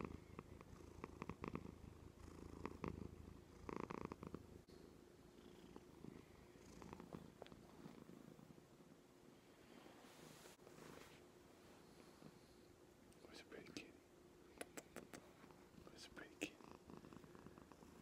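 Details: Joan, a female pet cat, purring while resting on the arm of a couch indoors; a low, continuous rumbling purr with soft clicks and brief scratchy rustles, quiet room.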